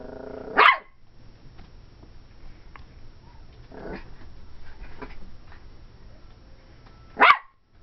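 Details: Ivory, a 12-week-old cream and white female Pomeranian puppy, gives two sharp, high barks several seconds apart at play, with quiet indoor background between them.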